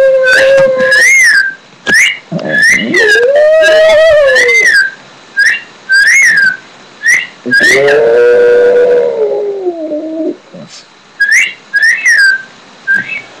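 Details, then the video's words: Daisy, a pet Shih Tzu, howling indoors: drawn-out, wavering mid-pitched howls, one rising and falling over about two seconds and a longer one near three seconds, set among repeated short, rising-falling human whistles. "shih tzu houling"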